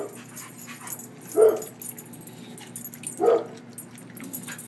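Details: A German Shorthaired Pointer playing in a yard with another dog gives two short, mid-pitched barks about two seconds apart.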